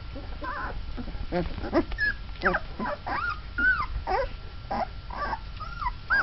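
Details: A litter of Mastiff puppies twelve days old, just beginning to walk, give thin high whines and short squeaks, some sliding upward then dropping, spaced irregularly over soft background noise.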